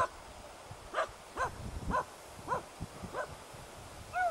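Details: Hunting dogs Prle and Pirana barking at a dead deer in Salas on 8 September 2012; a run of sharp, ringing barks roughly every half second, with a short yelping note at the end, over low wind and rustling.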